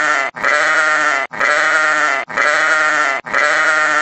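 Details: A sheep gives four drawn-out, tremulous bleats in quick succession, each held close to a second and split by sharp, short pauses. The voice is nasal and harmonic-rich, at constant volume.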